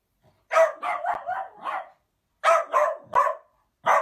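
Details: Playful Dachshund giving clusters of sharp, bright barks in quick bursts of four or five, separated by short silences, with nothing else audible.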